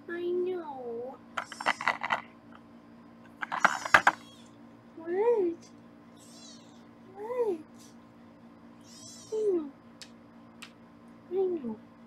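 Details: Foster kittens on a live kitten cam in Los Angeles, being weighed indoors. Short falling meows repeat about every two seconds, with brief bursts of a woman's speech and room hum behind.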